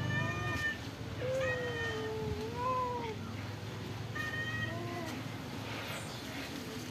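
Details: Pagoda-dwelling stray cats being fed rice and fish meow repeatedly: a long wavering cry near the start and middle, then shorter harmonic meows around four to five seconds, over a low background rumble.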